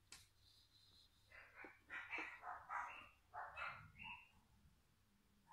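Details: Jack Russell Terrier puppies giving short, rough, high yelps and squeaky calls in a quick irregular series, over a low steady hum.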